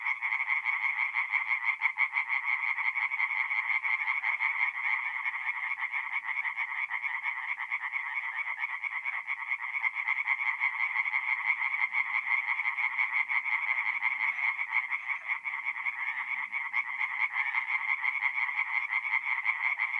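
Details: Tree frogs in full song by night at a forest pond, north-east Italy, in mid-April; a thick, even wall of quick pulsed croaks from many frogs with almost nothing else audible.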